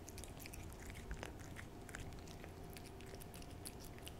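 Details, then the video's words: A pet cat eating a lickable treat indoors, close-up ASMR recording: soft wet licking and smacking clicks repeated irregularly, with a faint steady hum underneath. "cat ASMR★호두의 츄르 ASMR★ciaoちゅ~る"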